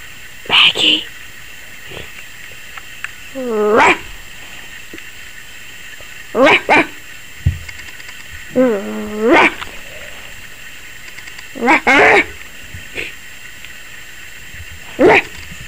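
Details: ['Young Yorkshire Terrier, 21 weeks old, reacting to the camera with short sharp yaps and a few whiny, pitch-bending barks spaced a few seconds apart in a quiet room.']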